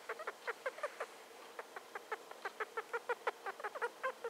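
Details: Star, a pet female hamster just over two years old, squeaking while sniffing around; rapid run of short, evenly spaced squeaks, about six per second, steady and continuous throughout, quiet room.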